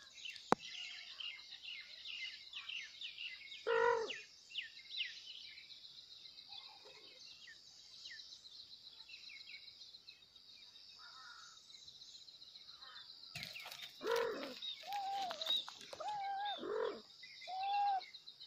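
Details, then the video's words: Kittens meowing loudly for their mother: one bright, harmonic meow near the start, then a quick run of about five short, wavering meows toward the end, over a steady high insect drone and scattered bird chirps. "kittens Meowing loudly For Mom"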